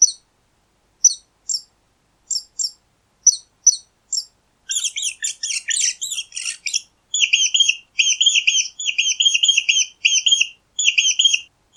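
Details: A mouse gives sparse, thin single squeaks, then a harsh scratchy flurry, then a long run of rapid high chattering squeak bursts; the background is otherwise silent.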